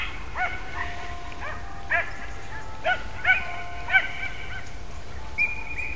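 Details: Podengo Português working in rabbit-hunting training, a few scattered high yelps and sharp barks, spaced irregularly over several seconds, heard at a distance over a steady outdoor background hiss.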